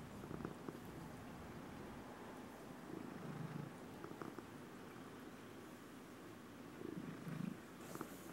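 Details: Domestic cat purring, recorded May 26, 2016; a soft, continuous low purr with brief faint squeaky tones at a few points.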